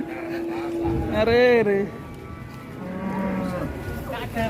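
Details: Enraged cattle in Indonesia after unloading from a truck, one losing a horn: a loud harmonic moo swelling then falling over about a second, followed by a softer, lower bellow, with background music and chatter.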